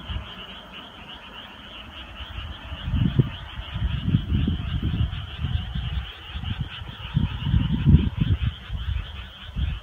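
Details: Frogs calling together on a summer night, a fainter run of quick pulsed croaks held at a constant pitch, mostly masked by a heavy low rumbling noise that grows louder midway.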